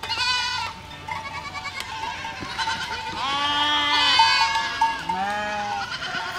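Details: Goat flock walking through a village, several overlapping wavering bleats, some high and nasal, others lower, calling in close succession with a steady ringing tone and faint clatter beneath.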